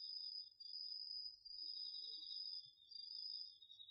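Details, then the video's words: Autumn insects, crickets among them, singing at night in a garden field, recorded on a DR-40X: a steady high shrill trill runs throughout, over a lower pulsed buzzing trill that breaks off briefly near the middle. "秋の虫の声 ASMRでおやすみなさい 〜虫の音を枕元で聞いてね〜 こおろぎ他"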